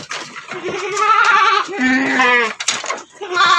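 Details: Goat on an Indonesian goat farm, where a Doroan doe gave birth to a single male kid about three months old. Loud, wavering bleats with rich harmonics come in several drawn-out bursts, with a man talking nearby.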